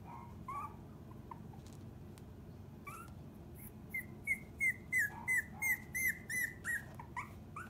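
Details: Puppy 32 days old that loves to play, giving a run of high whistled whimpers, each a short falling tone, about a dozen repeated quickly in a regular series, with softer rising whines before and after.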